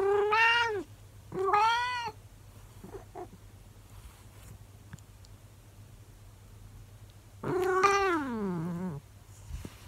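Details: Elderly 24-year-old calico cat talking to its owner indoors: two short rising-falling meows, a pause with soft clicks, then a long loud howl that rises then slides downward for over a second.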